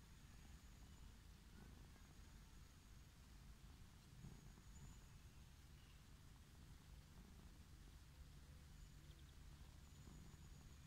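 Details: Wild orange tabby cat lying on grassland, purring with pleasure as it is petted; a low, steady rumbling purr under outdoor hiss, with faint high insect-like tones above.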